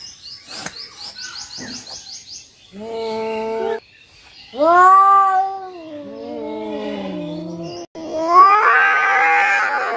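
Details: Two cats fighting in Noldanga village, a rural natural setting: drawn-out harmonic yowls and wails rising and falling in pitch, several long howls in sequence ending in a harsh, noisy screech, with brief chirping and clicks early on.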